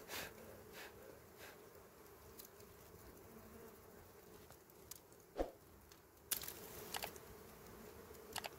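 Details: Small wild bees at a honey nest built among dry berry twigs give a steady, low droning buzz that holds throughout, broken by scattered sharp clicks and snapping noises, including a louder snap midway.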